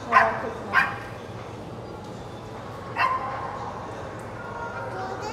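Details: Puppies giving short, high-pitched yips: two quick ones close together at the start, another about two seconds later, then fainter sounds over a low steady background.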